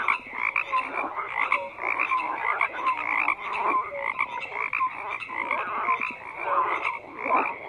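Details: Frogs call together in a crowded chorus of grating, pulsed croaks, with small bright chirping notes dotted through at roughly one-second intervals.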